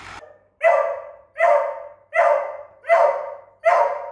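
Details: Young beagle puppy Doodle, frightened by a remote control car on their first encounter, barks five times in a steady run, roughly one bark every three quarters of a second, clear and loud with little else heard.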